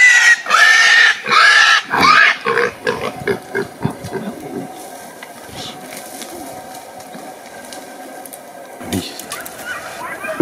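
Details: Pig being chased: loud, harsh squeals in long bursts over the first two seconds, then shorter grunting squeals that fade, followed by steady background noise and a brief late burst.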